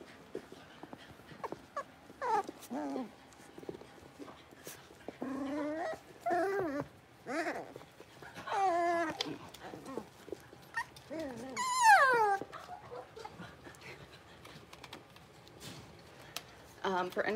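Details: A litter of five blenheim Cavalier King Charles Spaniel puppies, six weeks old, in a home puppy pen: bursts of whimpering yips and whines, wavering up and down, with a long high squeal near the middle and quiet gaps between bursts.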